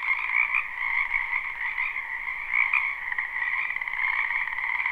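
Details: A loud wall of frog croaking from a wetland in spring, captured live with no looping; overlapping buzzy trills hold two continuous pitches while the volume swells and dips slightly over a few seconds.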